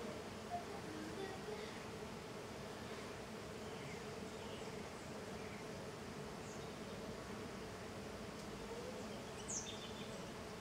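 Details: Small golden jatai stingless bees, Tetragonisca angustula, in intense activity outside their hive; a steady, low, even buzzing hum from many insects continues throughout, with a few faint high chirps in the background.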